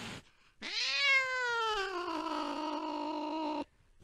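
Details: Cat chasing a mouse deep in the night: a single long meow about three seconds, opening with a quick upward sweep, then slowly sinking and holding a strained, harmonic tone before stopping abruptly.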